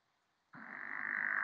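A pickerel frog calls with a steady, rapidly pulsed snore, low and rasping in tone. The sound begins suddenly after a short silence and grows louder as it continues.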